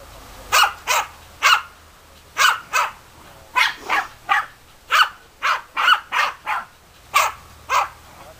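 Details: German Hunting Terrier barking in bursts of sharp, clipped barks, some in quick pairs, separated by short pauses.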